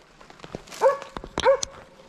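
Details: Arrow, a Slovakian hound, barks while holding a wild boar at bay on a driven boar hunt in Sweden, November 2022: two sharp, rising, harmonic barks roughly two-thirds of a second apart, with rustling and crackling undergrowth around them.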